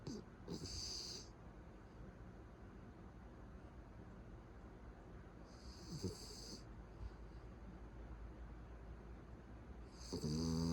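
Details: Loudly snoring pet Beagle asleep at home: three rasping snores roughly five seconds apart, the final one deeper and more droning, with soft breathing noise in the gaps.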